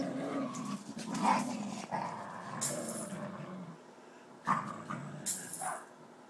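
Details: Two wild dogs fighting over a tiger: rough low growls and snarls in uneven bursts, with a few sharp harsh outbursts near the start and again toward the end, then quieter rumbling between them.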